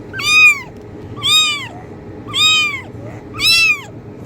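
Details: Kitten meowing to draw cats: four strong, harmonic meows roughly one second apart, each starting with a short upward slide and then bending down, with soft hum behind.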